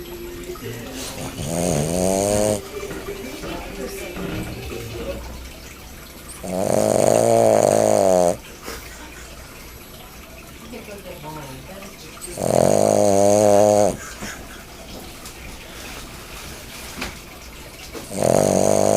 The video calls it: SPARKY THE BOSTON TERRIER SNORING